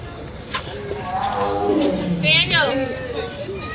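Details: A tiger at Philadelphia Zoo gives a rough, drawn-out roar that swells and fades while people talk nearby and remark on how good it was.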